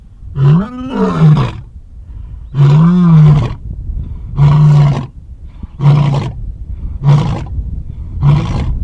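A lion roars in a deep series, two long moaning roars followed by shorter, quicker grunts.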